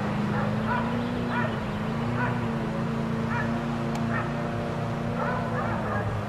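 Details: Neighbors' four dogs, left outdoors all day, give short, distant barks about once a second, set against a constant low mechanical drone.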